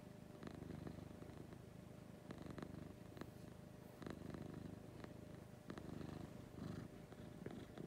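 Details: Morning purring from Lucy, a pet cat: a deep continuous rumble pulsing with each breath, with a few soft taps and rustling noises over the low drone.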